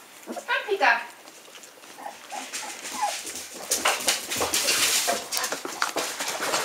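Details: Hungarian Vizsla puppies aged 15 days, eyes open, taking first serious steps; thin rising whimpers come in short bursts early on, then give way to heavy rustling and handling noise.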